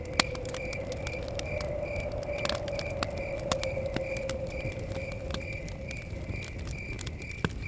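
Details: Crickets chirping near a crackling fire by a forest cabin in blowing wind; a steady high-pitched pulsed chirp repeats roughly twice a second, over sharp crackle pops, a sustained low whistling wind tone and a low rumble.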